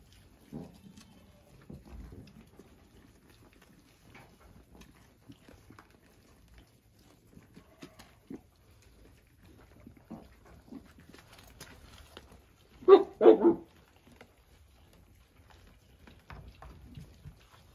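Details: Savanna goat breeding buck giving two short, loud, harsh bleats close together near the end, after long quiet stretches with faint shuffling and soft rustles in the background.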